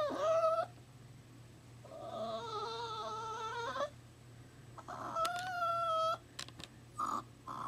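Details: Young puppy newly taken from its mother, crying at a workplace: a series of drawn-out, tonal whimpers, one long steady whine near the middle and a sharper rising cry near the end, with quiet indoor gaps between.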